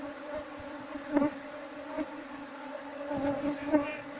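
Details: Wild Asian honey bees (Apis cerana) buzzing in a steady, low, droning hum while someone searches the colony for its queen to move it into a hive box. Several short louder bursts and handling knocks rise above the drone.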